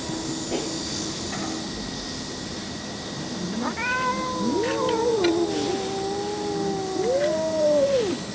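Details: Street cats mewing over one another: a long, gently falling meow overlapped by rising-and-falling wavering cries, the calls tumbling together for several seconds against steady background hiss.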